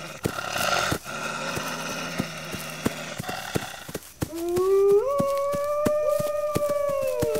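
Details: Rough background noise gives way to wolves howling: a low voice slides up and levels off, joined by a higher steady howl that holds for seconds before dipping at the end, over a steady stream of sharp clicking taps.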